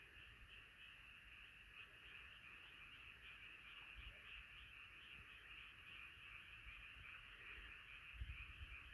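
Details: A night frog choir in full voice: a continuous shimmering high-pitched chorus with no pauses, mixed with soft low background rumble and an occasional thump near the end.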